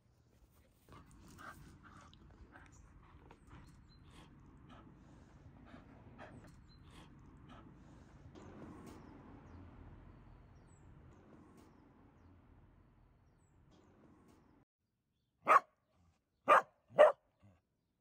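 A dachshund pants and snuffles quietly, then gives three sharp, loud barks about a second apart.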